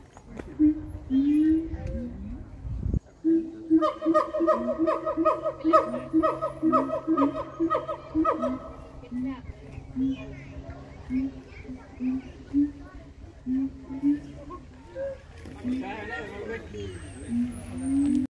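A gibbon sings a run of rapid, hooting notes, each rich and tonal, repeated about twice a second.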